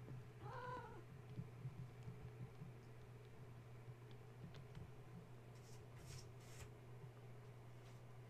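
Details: Gaia's kittens stirred awake at bedtime by a space heater being plugged in. One clear, short, high mew at the start, then scrabbling and tapping noises over a constant low electrical hum.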